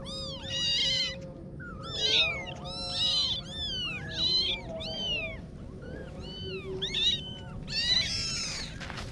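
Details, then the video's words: Little kittens cry in overlapping high meows, bright arched calls stacked close together, with a faint steady low tone and room hum underneath. "Little Kitten Adventures (New Video) - Kitty Video Meowing"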